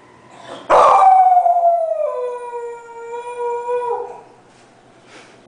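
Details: Pet dog howling at fire trucks, one loud drawn-out howl that starts with a sharp burst, then settles into a steady, slowly falling wail lasting about three seconds before fading.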